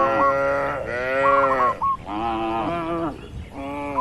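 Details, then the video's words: Herded cattle roaming freely in a wide, green oil palm plantation: long harmonic moos run back to back, each swelling and fading over about a second, while a small bird adds quick, repeated high chirps between them. "Moo Bunyi Suara Sapi Lucu"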